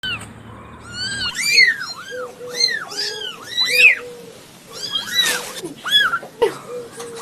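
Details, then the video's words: Newborn domestic kittens meowing: many overlapping high arched mews from several kittens, rising then falling, coming in irregular bursts, with a low hum at the start. "Cute Newborn KITTENS MEOWING Baby Kitten Meowing Sound Effect"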